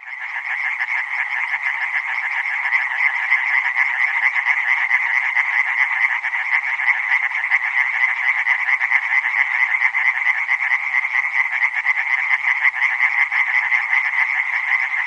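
A dense chorus of tree frogs gives fast, rattling, nasal calls that merge into one steady drone.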